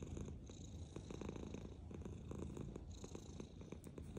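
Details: Black pet cat purring as she eats, a steady low rhythmic rumble pulsing with each breath, interrupted by quick chewing clicks throughout.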